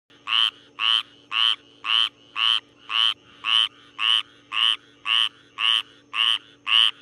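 A frog gives short, nasal, rasping notes in a steady series, about two each second.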